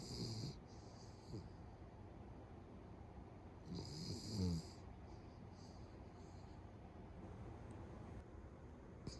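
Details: Pet Beagle asleep beside its family, snoring with rough rattling inhalations, a loud one near the start and another around four seconds, with quieter breaths between.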